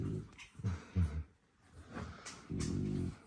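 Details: Mother French Bulldog snoring indoors on 10 March 2024, day 12 after the litter's birth, while her puppies sleep after their milk: soft, low, rasping snores in uneven bursts, the last one longer and steadier.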